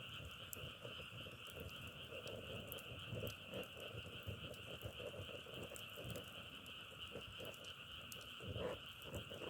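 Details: Frogs heard outdoors on a trip, their calling likened to the crackle of burning firewood: a steady, dense chorus hum with many short, low, irregular croaking pulses over it, fairly quiet throughout.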